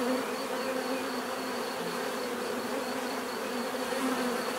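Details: A steady swarm-like drone of bees, layered humming tones holding constant throughout without breaks or other sounds.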